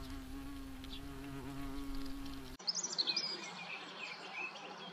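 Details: European hornets active in nature in the Eifel: a steady, low droning buzz with layered overtones holds for about two and a half seconds, then breaks off abruptly and is followed by a few high, thin bird chirps.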